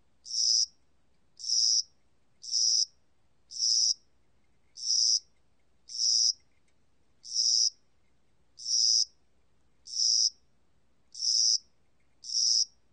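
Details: Over thirteen seconds, a cricket of spring and summer (National Institute of Biological Resources, 2020) sounds eleven brief, high, rasping chirps. They come roughly one per second with slightly uneven gaps, and the background is otherwise quiet.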